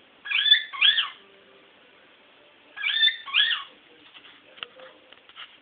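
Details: Female Toy Poodle named Sugar, in heat and pining for her stud, gives high wavering whines in two paired bursts roughly two and a half seconds apart, then faint shuffling and tapping.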